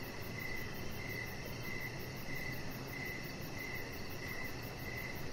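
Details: Outdoor evening chorus of crickets near a deck, with evenly spaced bright chirps recurring about every 0.6 seconds, a high shimmering pulsed trill above, and a dull continuous low hum.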